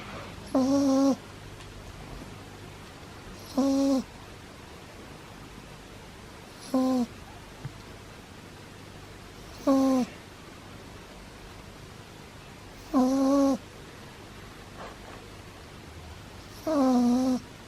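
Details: Pug puppy Pablo, sound asleep, gives a steady run of whistling, nasal snores roughly every three seconds. Each one is a short tonal wheeze over a faint indoor hiss.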